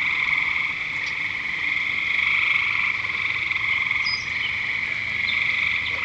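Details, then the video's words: Frogs at Lake Curcio calling in a dense, continuous chorus: a steady high trilling band with pulsed croaks layered above and below, no pauses, with a few brief chirps from other callers. "Frogs at Lake Curcio 2"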